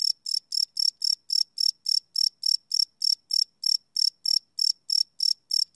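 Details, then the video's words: Crickets chirping at night, captured live with a Sony PCM D100 field recorder; loud, shrill, pulsed chirps repeat rapidly and steadily, around three and a half per second, with nothing else audible. "Cricket Chirp Sound - Cricket Sounds at Night"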